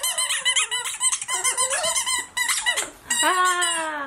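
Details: A young Border Terrier puppy called Tea, aged 8 to 12 weeks, squeaks in quick bouncing whimpers, then settles into a long drawn-out whine that bends downward at the end.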